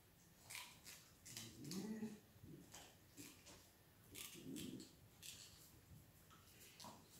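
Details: Collie puppies of the A litter, born 21.01.18, healthy and playful, given chew bones: two low, whiny, grunting vocalizations about two seconds apart, over busy clicking, scratching and rustling.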